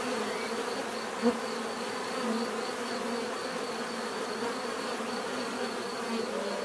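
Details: Natural buzzing of bees: a continuous swarm hum with overlapping droning tones, a thin steady high whine above, and one brief click-like knock early on.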